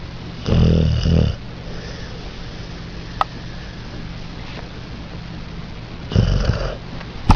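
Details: Dog making a weird noise: two deep, rough snoring snorts, one near the start lasting under a second and another near the end, over a steady hiss.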